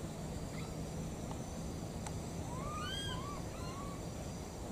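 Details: Wild baby monkeys, a pair calling out for their mother, utter a quick run of tonal arched coos, several overlapping whistled notes with harmonics, against a constant low rumble.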